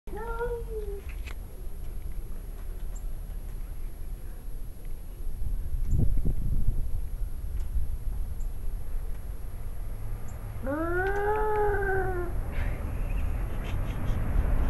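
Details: Two male domestic cats, a father and son, growl and hiss at each other before a fight in a yard in Arequipa, Peru; a low wavering yowl opens, then a long arched howl near the end over steady background noise.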